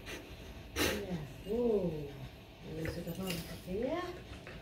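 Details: Female Siberian Husky named Grace vocalizing while being groomed with a comb, shedding fur; drawn-out wavering whines with rising and falling pitch, two main bouts, over soft Indonesian speech and brushing sounds.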